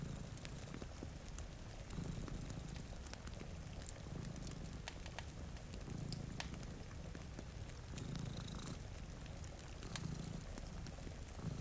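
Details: Purring cat, one of two sleeping in front of a rainy window beside a cozy fire; a low rumbling purr swells with each breath about every two seconds, with sharp crackles of a fireplace and soft rain patter behind.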